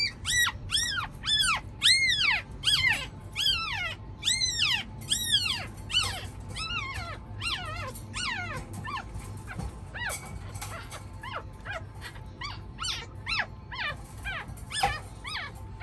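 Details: Chihuahua puppy screaming at feeding time, its mother trying to move it to feed; loud, harmonic-rich arched squeals come quickly at first, then grow fainter and more scattered, with some clicking and rustling.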